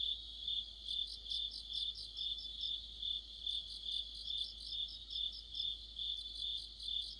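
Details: Mid-autumn night chorus of crickets with other insects by a streetlight. One high, clear chirp keeps a regular beat of roughly two per second, while a thinner, buzzier pulsing from more singers layers above it.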